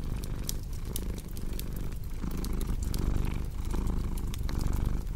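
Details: Low rumbling cat purr swelling and fading in quick regular breaths, with bright crackles and pops of a wood fire scattered over it, part of a cozy fireplace ambience for sleep.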